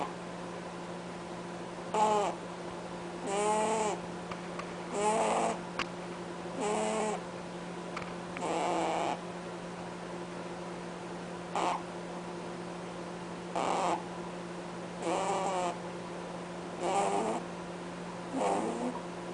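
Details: Cadbury, a pet rabbit, snores with honking sounds while he sleeps: short, nasal, harmonic bursts repeat about every one and a half to two seconds over a steady low indoor hum.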